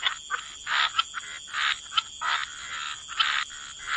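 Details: Separate frog croaks by the water: short raspy bursts come about every half second to second, some doubled, against a quiet background with a faint constant high tone.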